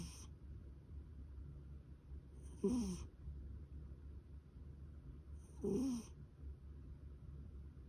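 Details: Sleeping cat snoring softly: two short, rasping snorts about three seconds apart, rising out of a quiet, low, steady background hum.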